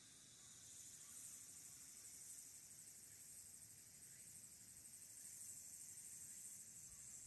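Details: Walker's cicada singing in late summer on 22 August 2022, recorded by smartphone from the observation deck of Aburayama Kannon on Mount Abura, Fukuoka City, Japan; a steady, high, shimmering buzz with rapid rhythmic pulsing throughout, over faint low rumble.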